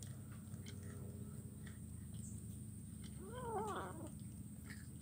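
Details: Kitten feeding on fish bones in Kuala Kapuas, Central Kalimantan, on Wednesday 17 July 2019; one clear rising-then-falling mew near the end, set against a constant low hum and scattered chewing clicks.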